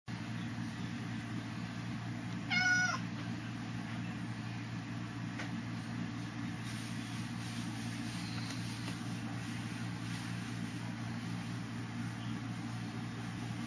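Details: Pet cat indoors gives a single short, clear meow early on, then long quiet stretches with a steady low electrical hum throughout.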